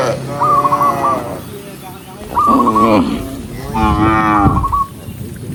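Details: Tame cows from a herd of tens of thousands walking across open countryside during the day: three long, rich moos, the last two loud and drawn out, with a thin repeated stuttering tone between them.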